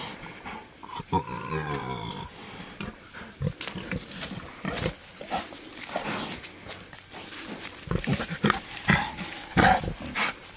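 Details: Male wild boar courting a sow outdoors: a run of wavering harmonic grunts early on, then scattered short grunts among loud rustling and crackling of vegetation.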